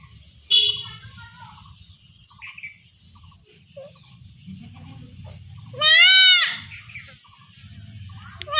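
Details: Goat kid undergoing home castration in a Bengali village gives a single loud, quavering bleat after several seconds of villagers talking, with clattering handling noises and a low hum throughout.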